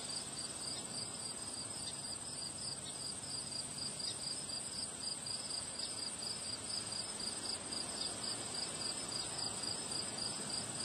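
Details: High, clear cricket chirps on a windy day, repeated several times a second in a regular beat over a constant thin trill, with steady wind roaring underneath throughout.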